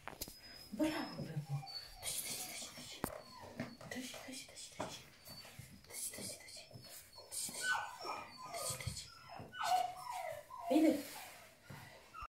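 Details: Three-month-old male Rhodesian Ridgeback puppy from a champion litter, whimpering and whining in high, short rising and falling tones, mixed with human speech and small-room handling noises.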